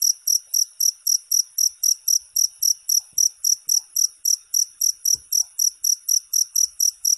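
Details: Cricket chirping steadily, high shrill pulses repeated about three times a second, evenly spaced with no other clear sounds.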